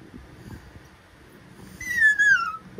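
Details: Talkative Pomapoo puppy Ember gives one thin, high whine that slides gently downward near the end, after a stretch of quiet room noise.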